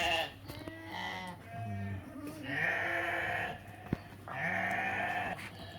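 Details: Sheep and rams for sale at a livestock market near Qarshi, Uzbekistan; several wavering, harmonic bleats overlap in the first half, then two long, loud bleats follow, with a man's voice and market noise.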